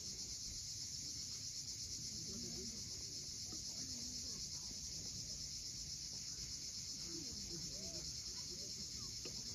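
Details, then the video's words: At sunset on Crimea's steep Cape Fiolent coast, cicadas keep up a continuous shimmering buzz with a slight pulsing texture, while waves wash below and a few faint, low, wavering sounds come and go. "Cicadas at sunset."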